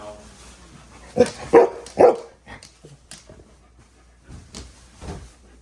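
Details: Maui, a female pet dog pestering for food, gives three loud, sharp barks in quick succession within about a second, then only quiet scattered sounds follow; a person's voice is heard nearby.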